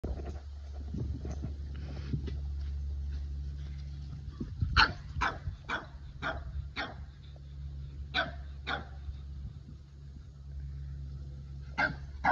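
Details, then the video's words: Boston Terrier barking indoors at a Keeshond, upset that the other dog took his favourite ball: a series of sharp, separate barks starting after a few seconds, over a steady low hum. "Hilarious Boston Terrier Barks At Keeshond Because He Took His Favorite Ball!"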